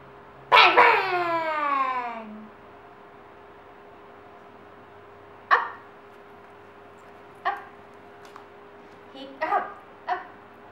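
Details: Pet dog at home, excited to see its owners and training for treats: one long, loud yelp sliding downward over about a second and a half, then a few short, sharp barks spaced seconds apart, with a faint steady hum behind.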